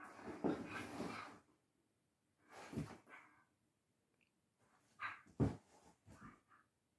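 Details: Spanish greyhounds (Galgo Español) Manuel and Carlotta at play in a small room, the young Manuel still clumsy. Short gruff bark-like bursts come in separated clusters, mixed with breathing and movement noise.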